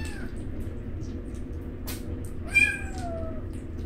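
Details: Newborn rescued alley kittens Roy and Joy while eating; a faint cry opens, then after a sharp click one long, slowly falling high meow, with low background hum.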